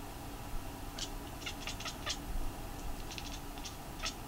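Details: White Munchkin cat sitting on a chair indoors, gazing outside and chattering, then continuing toward the room; rapid clicking, ticking bursts in quick runs with soft background hum.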